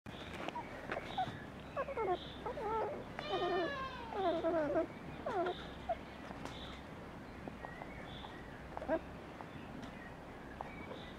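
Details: Border Collie puppies (non-LOF), litters of Glycine and Lixie, on the Domaine des Tourelles farm, which also breeds miniature donkeys and goats. High, harmonic whines and yelps with rising and falling cries, bunched in the middle of the clip over a quiet background.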